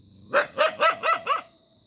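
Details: Dog barking five times in quick succession, short sharp barks spaced about a quarter second apart, with a faint steady electronic tone in the background.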